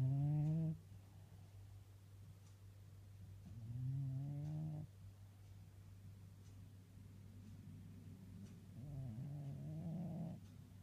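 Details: Cat napping on a person's lap, gentle low snores with a slight rasp, each lasting about a second and recurring every few seconds, with a constant background hum.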